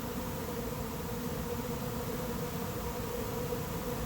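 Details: Late-season honey bee swarm moving into an empty, unprepared hive, the air full of bees: a dense, unbroken droning hum holding one steady low pitch with faint overtones and no pauses.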